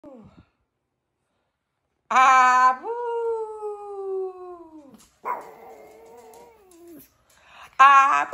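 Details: Four-month-old pug puppy indoors giving a short harsh yelp, then a long drawn-out whine sliding slowly downward, a second falling whine, and another sharp yelp at the end, with a woman's voice briefly at the start.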